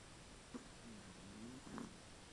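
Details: Sleeping Chihuahua called Koro-tan giving a quiet, whistly snore: a short sniff, then a thin, level tone that dips and rises slightly before ending in a small fluttery puff, against low room hiss.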